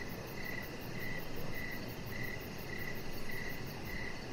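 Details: Outdoor evening cricket chorus near a deck lit with decoration lights, a chihuahua puppy resting close by; crisp high chirps come in a regular series of about seven, backed by a soft, faster pulsing trill and low hum.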